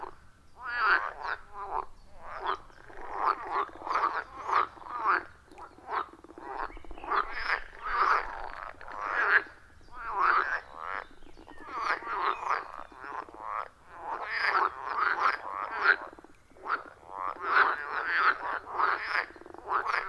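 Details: A dense chorus of frogs at a wild forest pond, captured with an iPhone 14 Pro and Shure MV88+ microphone; rapid rasping croaks pile up almost continuously, pulsing loud and soft, with no music or voices.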